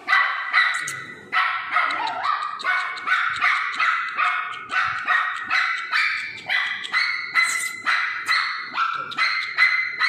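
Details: Pomeranian puppies yapping nonstop: loud, high, sharp barks repeated about twice a second in an unbroken rapid chain, some doubled, pitch and rhythm staying steady throughout, with no other sounds.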